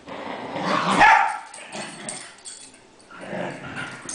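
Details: Cairn Terriers, pet dogs at play indoors; one loud, harsh bark near the start swelling and fading, then softer yips and a second smaller burst toward the end.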